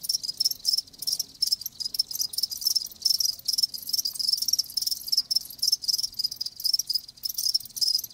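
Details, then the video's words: Many live crickets calling together, a shrill continuous trilling broken by short rhythmic pulses and momentary dips. "Live Crickets 60min "Natural Sound""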